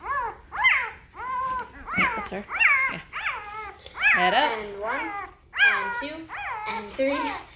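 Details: Indoors, a five-day-old Great Bernese litter cries in loud, bending whines and yelps, each dropping in pitch, repeated about every second with several pups overlapping.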